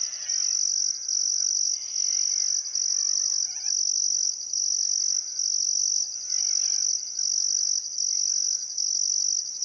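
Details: Summer sunset by the Barcoo River in Welford National Park, Outback Queensland: crickets give a shrill, pulsing chirp repeated roughly every second, while scattered bird whistles sound softly underneath on a still afternoon.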